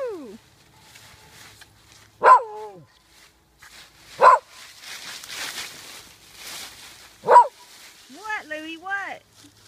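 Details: Small pet dogs, a Yorkie, Morkie and Schnauzer, playing in autumn leaves outdoors, November 2013; three sharp high barks spaced about two seconds apart, with a woman's voice talking between them and rustling leaves.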